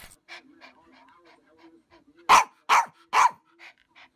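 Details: Dog in a funny compilation giving three loud, sharp barks in quick succession about half a second apart, after a stretch of faint, soft background noises.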